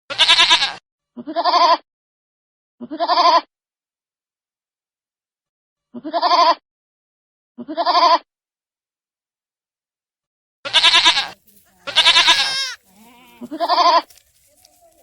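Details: Baby goats bleating: about nine separate bleats over fifteen seconds, mostly short quavering bleats with silent gaps, plus louder, harsher and wider bleats clustered toward the end.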